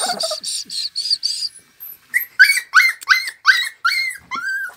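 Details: American Staffordshire Terrier at a breeding kennel in Lavello near Melfi, Potenza province, Basilicata, Italy: a run of short high squeaky notes, then about eight rising-and-falling whining yelps in quick succession, roughly three each second.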